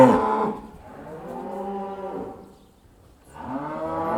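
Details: Cattle heading back into the barn: a drawn-out, sliding moo followed by a quieter pause, then another low moo starting up at the end.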